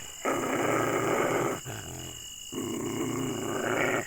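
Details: Angry dog growling steadily and deeply in two long rumbling stretches broken by a short pause, the snarl rough and continuous.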